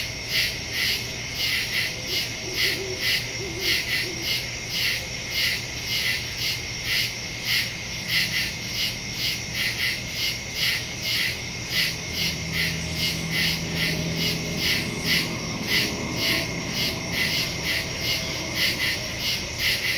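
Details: Crickets in the woods after dark, September 2, 2023, Samsung Galaxy S22 Ultra phone with Shure MV88+ stereo microphone; fast, regular high-pitched pulsing throughout, with a low drawn-out tone appearing midway beneath the chorus.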